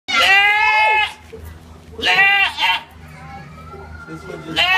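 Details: Goats let out loud, strained, human-like screams rich in overtones: a cry lasting about a second, a second wavering one a second later, and a third starting at the end, with a person speaking softly in the pauses.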